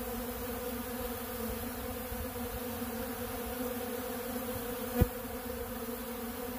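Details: Crowd of honeybees feeding on bee pollen at a large blue feeder, an unbroken humming drone of many wings, interrupted once by a sharp click about five seconds in.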